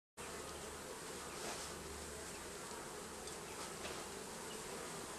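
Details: Bees living under the roofing, heard as a dense, steady droning buzz that fills the whole clip with an even low hum and no breaks.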